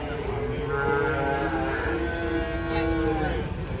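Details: Large fat cattle coming down off a truck during unloading give a steady, sustained, tonal moo lasting several seconds, with voices and handling noise underneath.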